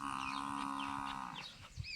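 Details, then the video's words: Cow offered for sale at a dairy farm near Dhanera: one long, steady, deep moo lasting about a second and a half, held at an even pitch, then fading into quieter farmyard background with faint chirping birds. "धानेरा जोड़े डॉ वा गांव में गाय बेचवानि से"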